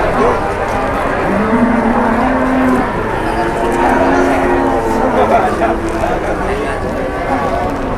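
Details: Cattle at a livestock market, a sustained low harmonic moo rising over steady crowd murmur and chatter, with more distant lowing from other animals layered underneath throughout.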